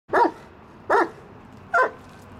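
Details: Waylon, a reactive dog in training to calm down and stop barking or growling at people in public places, gives three sharp, loud barks spaced roughly 0.8 seconds apart against a quiet background.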